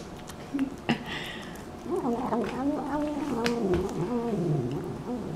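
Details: Domestic cat giving a drawn-out, wavering, moaning vocalization that bends up and down in pitch for several seconds, after a few short clicks and knocks at the start; a faint voice sits in the background.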